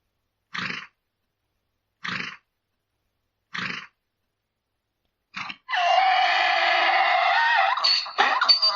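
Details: Mule braying: three short, wheezy breathy gasps spaced about a second and a half apart, then a long, loud, harsh tonal bray that holds steady before breaking off with rough, cracking notes.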